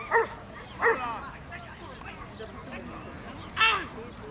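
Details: Dobermann at the 2012 AIAD championship dog show: two sharp, harmonic barks close together near the start and a third a few seconds later, over a background of crowd chatter.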